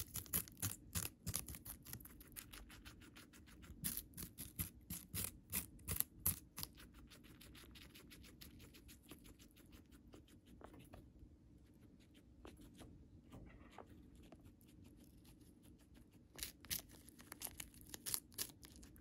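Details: Pet guinea pig Moru-chan chewing Chinese cabbage stalk sticks and leaves indoors: rapid, sharp crunching about three bites a second for several seconds, a softer pause midway, then more loud crunches near the end.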